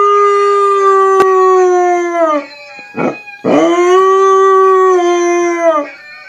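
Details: Young husky learning to howl: a long, steady howl held for over two seconds, sliding down at the end, then a second sustained howl rising briefly and falling again, with a harmonic-rich, clear tone.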